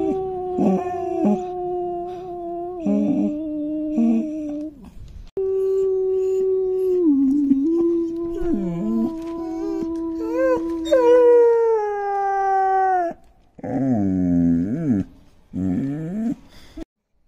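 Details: Long-coated German Shepherd puppy, a five-month-old male, howling in long sustained tones that waver and dip, then climb higher into strained wails before breaking into short quavering yelps and whimpers.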